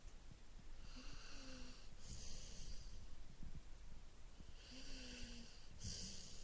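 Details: Sleeping Golden Retriever snoring: two slow, deep rasping breaths about three seconds apart, each with a wheezy whistling overtone, low rumbling exhalations between them in a quiet room.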